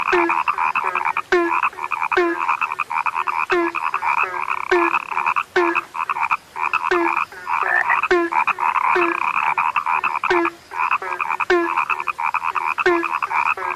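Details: Frogs described as rare fill the air with continuous overlapping croaks: grating pulsed trills, regularly spaced deeper knocking notes and scattered sharp clicks, the calling barely pausing throughout.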